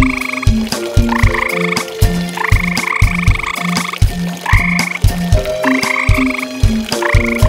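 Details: Tree frogs around a pond after dark, a pair calling through the night; clusters of raspy, buzzing croaks come in quick runs about twice a second, set against loud rhythmic music with a deep beat.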